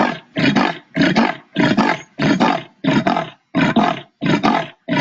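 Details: Leopard in the Indian jungle giving its sawing call, like wood cut with an old-style handheld saw, echoing through bouldery rocky hills at dusk; nine harsh rasping strokes, roughly one every half second, loud and steady.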